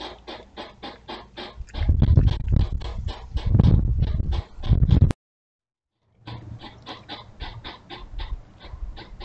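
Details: Two courting European hedgehogs at night beside a house, caught by a trail camera: rapid broadband puffing snorts, roughly three per second, louder bursts in the middle, then a gap of silence before steadier puffing resumes.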